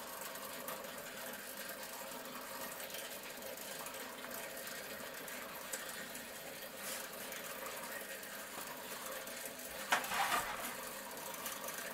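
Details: A low, steady mechanical whirr fills a small room, with a brief knock near ten seconds.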